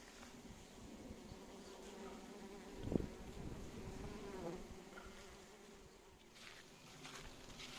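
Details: Bees pollinating phacelia in June, joined by other pollinating insects: a steady low droning hum with layered humming tones, swelling briefly near the third second, over soft background rustle.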